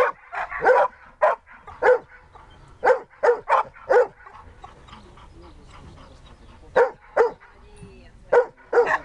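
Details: Siberian Husky named Dexter during search and rescue training, giving short sharp barks in irregular bursts, several quick in a row then pauses of a second or two, quiet background between.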